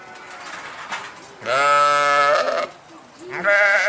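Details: Sheep bleating: a long, steady, buzzy harmonic call lasting about a second, then a quieter gap and the start of a second wavering bleat.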